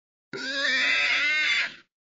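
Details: A wild boar (Sus scrofa) at Aldo Vega gives a single drawn-out, harsh squeal lasting about a second and a half.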